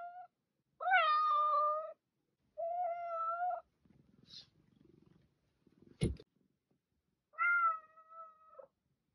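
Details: Pet cat giving several short and medium meows with rich harmonics, separated by pauses, with soft rustling and a sharp click or knock in between.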